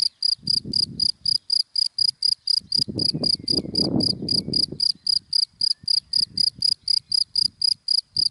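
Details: Daytime cricket in dry grass chirping quickly and steadily, bright high pulses about four a second, with a swelling rumble of a passing car underneath.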